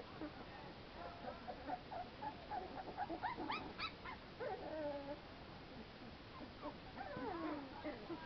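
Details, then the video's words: American Pit Bull Terrier puppies out in the fresh air, playing; a series of high, thin whimpers and squeaky yelps with wavering pitch, denser around the middle and again near the end, over a faint background hiss. "American Pit Bull Terrier Pups"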